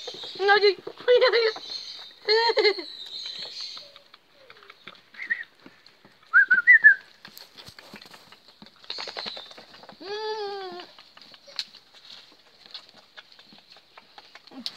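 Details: Presa Canario litter from Melvin and Kia et Lucho, recorded 4 July 2019: several short, high harmonic yelps in quick bursts early on, quieter squeaks in the middle, and a longer wavering cry near the end, over a steady faint hiss.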